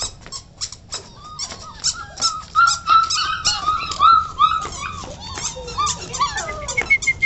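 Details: English Pointer puppies, 40 days old, giving high squeaky whimpers and whines that rise and fall, with rapid overlapping yelps and scratchy clicking and scuffling sounds throughout.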